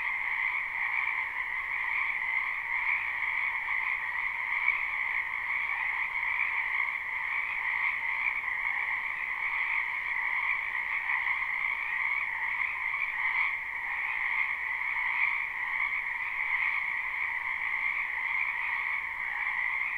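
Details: Frogs croaking in a wetland during spring, recorded live without looping; a constant chorus of rapid pulsed calls forms a steady two-band drone that continues unchanged, with slight surges partway through.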